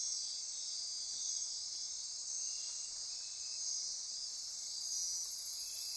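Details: Dense nocturnal insect chorus from the Osa Peninsula rainforest, Costa Rica, steady high buzzing with gently pulsing trills and an extra hissing layer rising near the end.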